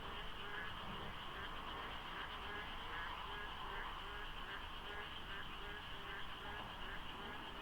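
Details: Frogs in full chorus at dawn in the monsoon rains by the foggy Deokso IC expressway, South Korea; rapid, evenly spaced croaking pulses from many overlapping callers, with a soft low rumble of light traffic.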